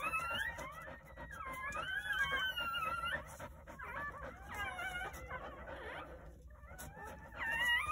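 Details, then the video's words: Squealing newborn Jindo puppies from a New Year's Day litter of nine at a countryside home; several pups whine in long, wobbling, high-pitched cries that overlap, with a short pause near the end. "새해 첫 우렁찬 울음소리와 함께 새생명이 탄생"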